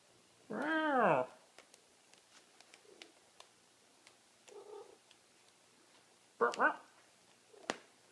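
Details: Large Maine Coon cat getting a belly rub indoors: a drawn-out harmonic meow that rises then falls near the first second, then a shorter, sharper chirping call later, with faint clicks and a quiet human voice in between.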